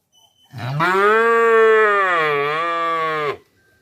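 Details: Calf mooing: one long, loud, steady moo of about three seconds, rich and nasal with many overtones, dipping slightly in pitch near the end before cutting off abruptly, with no other sounds.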